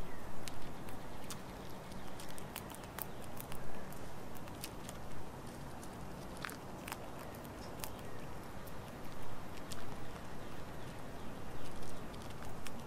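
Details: A squirrel gnaws and chews on birdseed and nuts taken from a bird feeder, making sharp clicks and crackles against a low background rumble.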